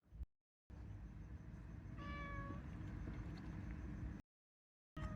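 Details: Mother cat with her kitten; one clear, level-pitched meow lasting about half a second, with a second meow just starting at the end, over a constant low rumble of background noise broken by short silent gaps.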